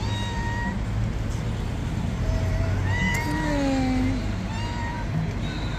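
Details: A hungry black cat meows in a few long, gently falling calls, one sliding lower in pitch near the middle, set against dense low background rumble.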